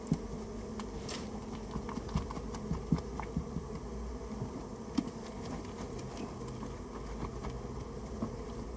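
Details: Japanese honey bees humming in a storehouse nest during its removal; a continuous mid-low buzz with frequent small ticks and taps throughout.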